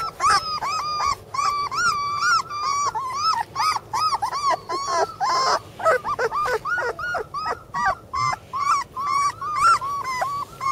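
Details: Sibling Border Collie puppies whimper together in a steady chorus of short, bowed whines and squeals, roughly two a second, with several voices overlapping.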